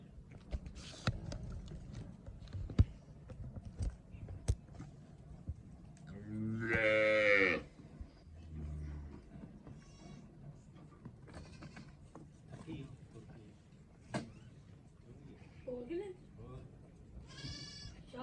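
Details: Cholistani Friesian cross cow in Pakistan gives a single loud, drawn-out moo lasting over a second, rich in harmonics, amid quieter background knocks and faint human voices.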